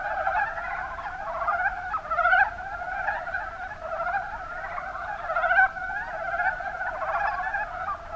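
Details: Kuma Basin, Kumamoto, Japan: many Rana ornativentris croak at once, a throaty clucking murmur broken by louder single calls about every three seconds, against a steady background of overlapping frog voices.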